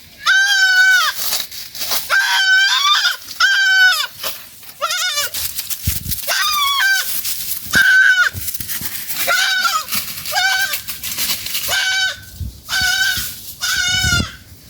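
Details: Several goats of one family eating in the forest bleat repeatedly, a steady run of short-to-medium wavering nasal calls every second or so, some overlapping, over constant rustle and crackling.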